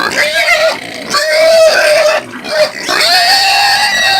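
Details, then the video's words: Domestic pig of the caipira type giving near-continuous piercing screams, shrill wavering squeals that barely pause, one short dip in the middle. "SOM DE PORCO CAIPIRA - SOM DE PORCO - EFEITOS SONOROS DE PORCO PIG SOUNDS - DE PORCO GRITANDO"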